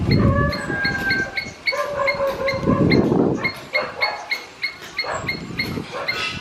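A squirrel calls in quick, clipped chips, each note sharp and slightly nasal, repeated at a steady, rapid pace. Low rumbling and hum, like a passing vehicle or wind, runs underneath.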